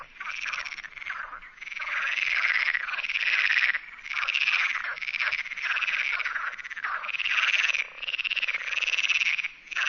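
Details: Perez's frog, Sierra de Barbanza near Noia, Spain: long stretches of harsh, grating croaking with pulsed rattling texture, running almost continuously with a few brief dips between bouts.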